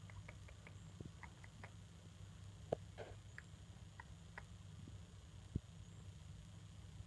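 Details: Soft chirping exchange between a degu parent and offspring kept as pets, scattered brief high squeaks and short rising notes spaced irregularly, with a couple of sharp clicks and a constant low hum beneath.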